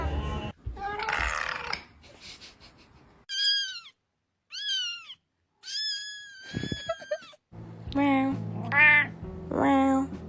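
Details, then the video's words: Cat making a series of short, clear meows that rise then fall, spaced about a second apart, between stretches of rustling, with music and voices in the background and warbling cries at the end. "The healing sound of cat"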